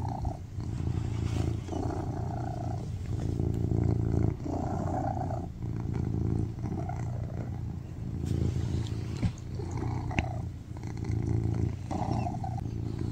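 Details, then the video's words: Loud purring from Baby Charlie, a tuxedo cat lying on a lap; low vibrating drone with a rhythmic in-and-out breathing pattern, interrupted by a few faint clicks and rustles. "Cat purrs loudly on my lap"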